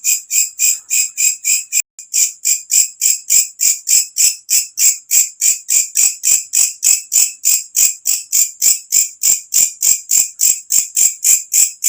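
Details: Night-calling katydid giving a loud, piercing chirp train, evenly spaced high-pitched pulses at roughly three and a half per second, continuing steadily with one brief break near the start.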